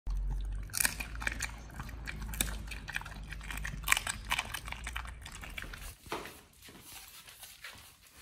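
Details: Pit Bull named nomyen eating a raw-feeding meal of sole, silver pomfret, Indian mackerel, duck feet and quail eggs: wet, irregular crunching and biting bursts, loud clustered cracks in the first six seconds, then softer chewing with low room hum.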